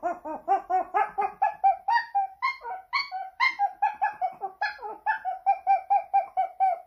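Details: Pomeranian dog howling dramatically to attract attention, Saint Petersburg, Russia, September 2021: continuous pulsing, yodel-like yelps repeated about twice a second, rising and falling in pitch, loud in a small room.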